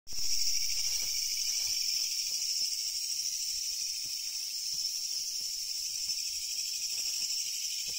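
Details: Japanese leaf katydid, a species found only in Japan, singing: a loud, continuous, harsh buzzing drone of rapid pulses, high and broad, with faint low knocks and handling sounds underneath.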